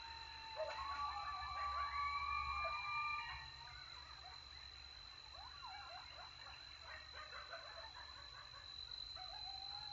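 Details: After a successful hunt in Texas, coyotes howl as they eat: long steady, held tones at two pitches open the recording, then break into sliding yelps and yips, with a continuous high thin whine throughout.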